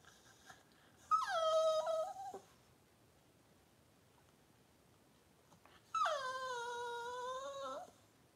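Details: Indoors during the birth of six puppies, the Cavalier King Charles Spaniel Daisy gives two drawn-out whines, each over a second long and gently falling in pitch, separated by about four seconds of quiet.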